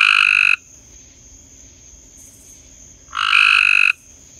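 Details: Night-time frog croaking: a buzzy, rasping croak fades out at the start, then after a pause of about two and a half seconds another loud harsh croak follows, against a steady thin hiss.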